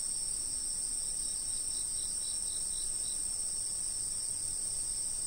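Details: Insects calling outdoors on a fixed camera: constant shrill high drone, with a lower series of quick pulsed chirps rising through the middle seconds before fading out.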